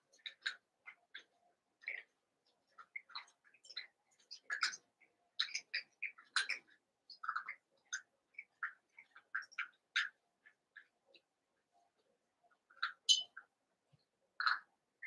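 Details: A merged litter of eight Cavalier King Charles Spaniel puppies plays indoors. Many short, thin squeaks and chirpy yelps come in quick scattered bursts, with occasional brief quiet gaps.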